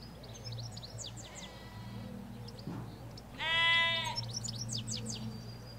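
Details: A ewe or lamb in a field in the Hampshire countryside gives one strong, rich, quavering bleat lasting under a second, recorded in stereo on an M5s by a hedge, with lively songbird twittering throughout and a low background hum of traffic.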